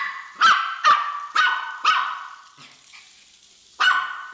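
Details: Pet Miniature Pinscher barking at a Hexbug Scarab toy she treats as an intruder: four quick, bright barks in under two seconds, a short quiet pause, then one more sharp bark.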